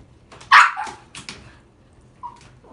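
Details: An Akita at a pet shop in Kushiro, Japan, gives one sharp, high yelping bark, followed by soft clicks and shuffling and a brief faint whine about two seconds later.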